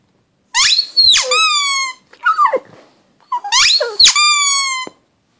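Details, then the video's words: Pug howling in a small room: two long, high, rising-then-level cries with a shorter, lower, gruff yelp between them, all close and loud. "Howling pug"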